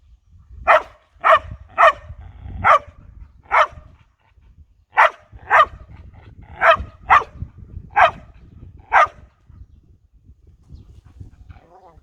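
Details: Border collie on a walk, suddenly following a scent and barking at a cat it found: sharp repeated barks, about eleven in twelve seconds, in two bursts with a short pause between.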